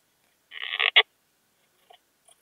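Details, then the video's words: Slender bright bush-cricket, Poecilimon gracilis, at Hajnzgraben, Austria, on 19 August 2021, picked up through a Pettersson D 100 ultrasound detector: a half-second run of dense scratchy pulses, then one louder sharp burst, followed by faint ticks. "Poecilimon gracilis -- Zierliche Buntschrecke -- Slender Bright Bush-cricket"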